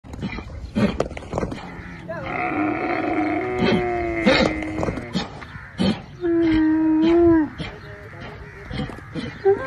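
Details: A camel startled by a horse gives deep, drawn-out groaning calls, with a sustained bellow near the end.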